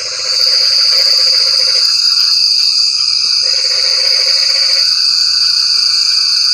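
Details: Frogs calling in the rain: pulsed, trilling croaks in two long bursts of about one and a half seconds, over a steady high, shrill insect-like drone that fills the whole recording.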